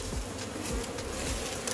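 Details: Many honey bees of a massive wild hive being caught, exposed as a barrel is cut open: a loud, rough, continuous buzzing swarm close by, dense and unbroken.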